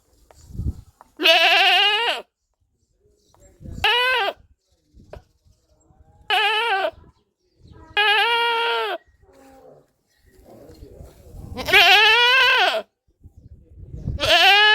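Goats give a series of loud bleats, each a wavering, nasal cry lasting around a second. The calls come every two to three seconds, with faint knocks and rustling between them.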